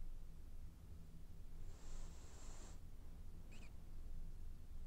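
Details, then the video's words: French Bulldog snoring while dreaming: one soft, breathy inhalation with a thin high whistle lasting about a second, then a brief squeaky snort, over a quiet low hum. "Snoring French bulldog has dreams"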